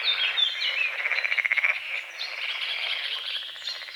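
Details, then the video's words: Frog at dawn on a small forest-edge lake giving a rapid pulsed croak train lasting under a second, over a softer chorus of frogs, with a short bird whistle at the start. "The sounds of morning frogs croaking"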